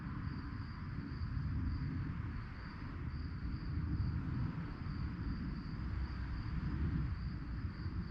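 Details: Cricket chirping after dark: a constant high trill made of quick regular pulses, with a loud broad rumble, like passing traffic, beneath it.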